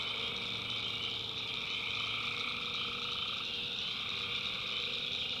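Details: Many tree frogs calling together after dark in a swamp in the backwoods of North Carolina, a thick wall of shrill, pulsing trills layered at several pitches, constant in loudness.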